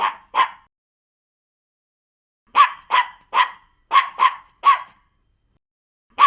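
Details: Smaller-sounding dog in a mixed-breed barking compilation gives bright, high yapping barks: two quick ones, a two-second pause, then a rapid run of six and one more at the end.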